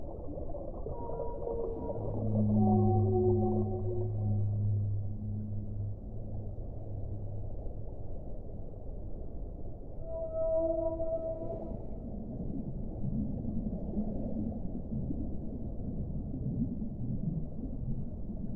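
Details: Deep whale moans open the sequence, low sustained groans with a higher tonal cry above, then a clear mid-pitched wailing note about ten seconds in, trailing into softer warbling tones over steady underwater rumble.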